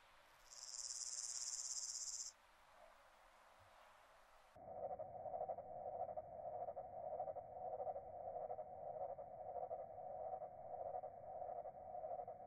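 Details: A singing male Pyrenean Grasshopper (Omocestus antigai) gives a high, hissing buzz, followed by a much lower, slowed-down replay, recorded 28 July 2021 at Bonansa, Spain.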